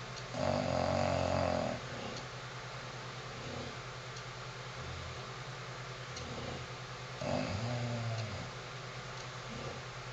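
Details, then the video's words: English bulldog, a nine-year-old female, snoring while asleep indoors: loud rasping snorts near the start and again around seven seconds, with softer breathing between. "Snoring English Bulldog"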